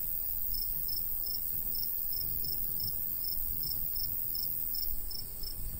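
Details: Summertime cricket by a golden wheat field: crisp, high-pitched chirps repeated about twice a second without pause, set against a soft, low wind rush.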